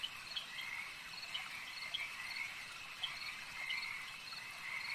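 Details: Frogs calling at a lake: a dense, steady chorus of high trilling and croaking notes layered into a continuous hum, with short sharper clicks and chirps breaking through every second or so.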